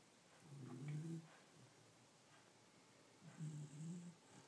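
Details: Sleeping pet dog snoring, said to sound like a human: a low, throaty snore early on, then a softer second snore close to three seconds later, with quiet breathing between.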